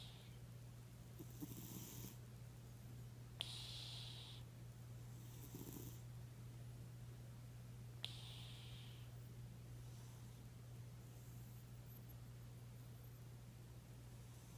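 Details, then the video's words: Randy, a pet cat, snoring while asleep: soft breathy rasps recur about every two seconds, each a brief hiss of air, over a constant low electrical hum. "Snoring Randy"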